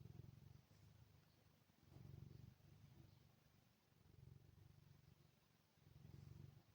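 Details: Male Maine Coon, a large pet cat born July 2021, purring softly in a low rumble that swells in slow pulses about every two seconds, faint and close, in a quiet room.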